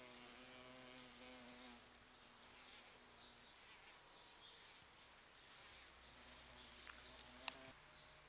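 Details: Noisy large bumblebees at sete capotes flowers in a garden, attracted by their rose-like perfume in November; a low buzzing hum at the start and again near the end, quieter in between, with one sharp tap.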